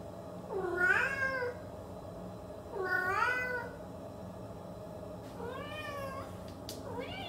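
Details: A Siamese cat gives four bending meows that rise and then fall in pitch, each under a second long and spread across several seconds, with a faint click near the end and a low steady hum underneath.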